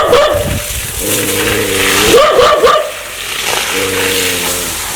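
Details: Aggressive dog that wants to bite: two long low droning growls with a few rough barks between them.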